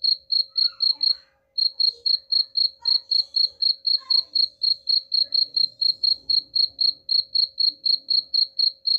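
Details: Rhythmic cricket chirping for repelling rats: piercing high pulses about four each second, a short break early on, and faint scattered background sounds beneath.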